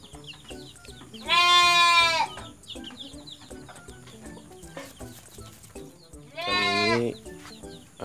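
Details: Orphaned goat kids whose mother died, being bottle-fed milk on a farm; two loud, harmonic, wavering bleats about five seconds apart, with faint chirping and a person talking in the background.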